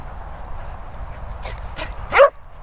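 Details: Dog among English Bull Terrier and Springadors at a Worcestershire training and boarding kennels; a few soft sounds build to one loud, short yelping bark rising then falling near the end, over low background rumble.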